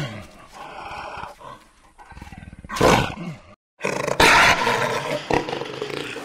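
Jaguar giving harsh, raspy roaring bursts, two loud broad blasts about a second apart after a low grumbling start, with abrupt cuts between them.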